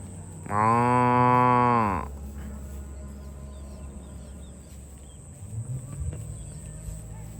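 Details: Farm cow herded toward the barn lets out a single steady, nasal moo of about one and a half seconds, then quiet background with a steady high whine and faint rustling.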